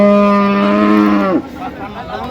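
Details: Friesian and crossbred bull calf at Ambari cattle market in Dinajpur on 29 December 2025, giving a long steady low moo that drops off sharply near the end, with market chatter and bargaining voices around.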